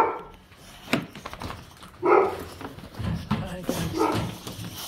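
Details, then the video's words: Dogs greeting their owner at pickup from dog daycare, happy to see them; short excited yelping whines rise at about two and four seconds, mixed with human speech and shuffling indoors. "Picking up my dogs at dog daycare. They where happy to see me!"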